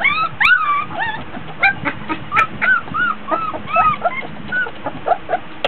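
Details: Border Collie puppies, 24 days old, playing in a whelping box, fussy because hot and tired: overlapping high whiny whimpers and short yips, some rising then falling, several pups calling at once with brief pauses between bursts.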